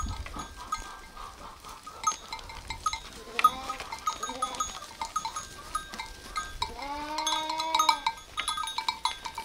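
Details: Sheep bleating: a short wavering bleat in pulses near the middle, then a longer, steady, drawn-out bleat later on, both over constant metallic clinking of bells and low background rumble.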